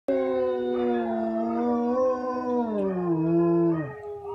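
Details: A German Shepherd, howling at YouTube videos, gives a long, steady howl that sags lower toward the end.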